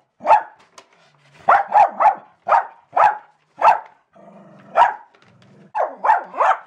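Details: A female Jack Russell Terrier barks at a paper shredder in sharp, high yaps, single and in quick bursts of three.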